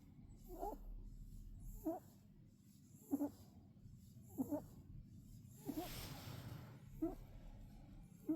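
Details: Pet rabbit snoring in its sleep, short nasal snorts roughly every 1.3 seconds, slightly irregular, with a brief rushing hiss of breath or rustle midway through and low background hum.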